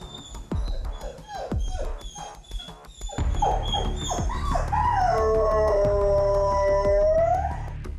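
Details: A Jindo dog with separation anxiety, left alone at home once its guardians go out, gives a long, wavering, mournful howl, longing to follow them; Jindo dog.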